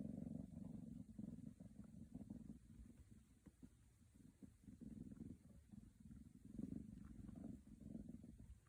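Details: Attention-seeking Scottish Fold kittens in Virginia purr continuously, a low throbbing hum that rises and falls in waves, fading in the middle before swelling again, with light rustling clicks.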